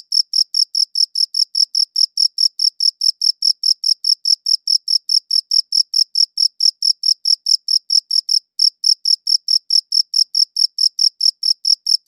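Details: Cricket chirping, recorded as high-quality WAV: a steady run of short, pure high-pitched pulses, about four or five each second, with one brief pause midway and a clean silent background.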